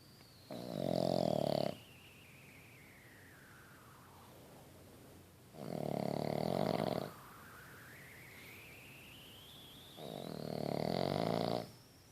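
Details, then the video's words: Boston Terrier puppy snoring while asleep: three long, rasping snores of about a second each, spaced roughly four seconds apart with quiet breathing pauses between them. "Boston Terrier puppy snores while he sleeps"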